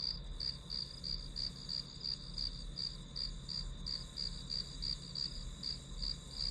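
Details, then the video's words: Study-session white noise of grass insects: evenly repeated sharp, high chirps, close to three each second, ride above a constant ringing trill, with a soft low hum beneath. "풀벌레 소리"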